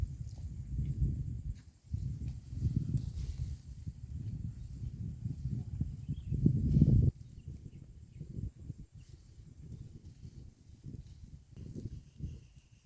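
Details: Cows in a herd eating green grass beside a road, heard close: steady low crunching and tearing in rapid, uneven rhythm, several beats a second, loudest in a burst before briefly softening.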